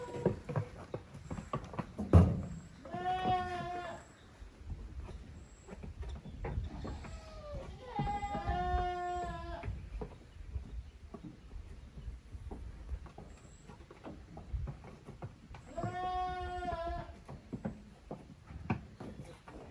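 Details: Goat kids from two families, Koharu's and Okayu's, romping together in an exercise yard at a handmade goat farm in June 2023; three separate drawn-out wavering bleats over low rumbling background.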